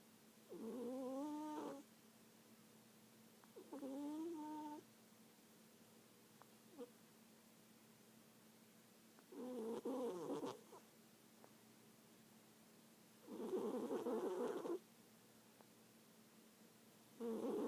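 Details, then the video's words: Sleeping cat snoring: five breathy, nasal snores with a faint whistled, wavering tone, each lasting about a second and coming roughly every four seconds, with quiet gaps between them. "Snoring cat"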